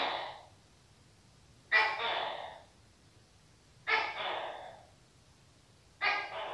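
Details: Repeated loud, raspy barks of a Tokay gecko, each a sharp onset followed by a fading second part, spaced about two seconds apart over quiet background.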